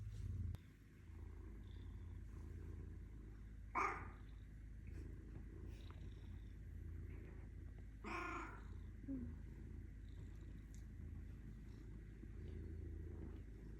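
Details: Black melanistic Bengal cat purring softly, a faint continuous low rumble with two brief breathy bursts and light background hiss.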